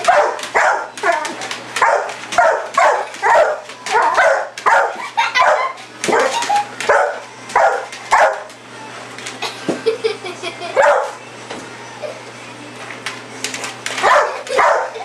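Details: Pit bull Sasha chasing a red light in the yard at night, giving rapid, excited barks in quick runs, roughly two per second, with a short lull before more barking near the end.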